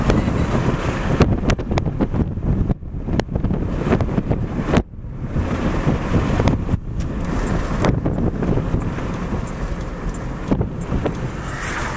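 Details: Heavy wind buffeting a microphone outdoors, broken by sharp knocks and short gaps, with no animal sound audible.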